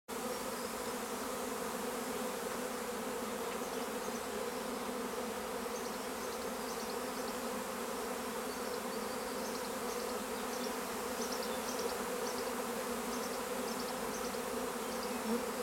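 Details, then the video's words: Swarm of honeybees at Longué-Jumelles: a dense, steady low hum holding throughout with no breaks, while small birds chirp faintly and repeatedly in the background. "Essaim d'abeilles"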